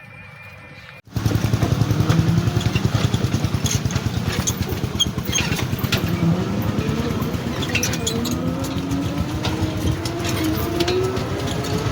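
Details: A loud, steady motorcycle engine rumbles and throbs throughout after a short quiet start, with no animal voice heard.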